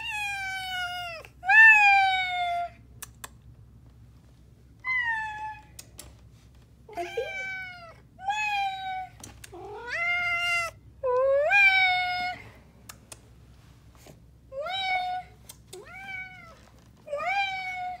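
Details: Black house cat Athena, called her panther, chatting to her owner: repeated clear meows, some long and wavering, others short and upturned, coming in bursts with quiet pauses and faint clicks between.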